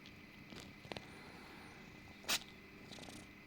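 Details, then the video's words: Little orange kitten Eric, yawning, purring loudly, then suddenly sneezing in a cozy moment; a soft low purr runs under the clip, broken by one sharp, bright sneeze burst near the middle, with faint clicks around it. "Эрик зевает и мурчит, а потом чихает 😹 | Eric yawns purrs and sneezes"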